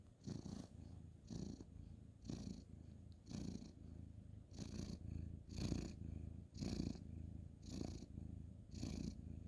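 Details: Orange tabby tomcat being stroked at bedtime on a bed, recorded 2/11/2023, purring steadily; deep rumble rises and falls roughly once per second in an even rhythm, quiet room.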